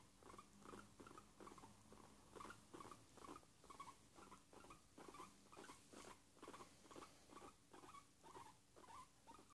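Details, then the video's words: Guinea pig giving contented pleasure sounds at home on a lazy Sunday: a steady run of short, low chattering squeaks, about two each second, fairly even, with a faint constant hum behind. "Cobaya haciendo sonidos de gustito"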